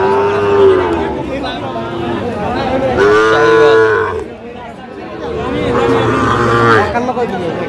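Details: Sahiwal bull calves at a cattle market in Mymensingh, Bangladesh, 19 April 2025: three drawn-out, tonal moos spaced a few seconds apart, each slightly rising then falling, over steady crowd chatter and bargaining voices.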